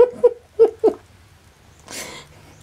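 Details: Kittens aged three weeks, running around, let out four short, high-pitched mews in quick succession, followed by a brief rustling, breathy noise.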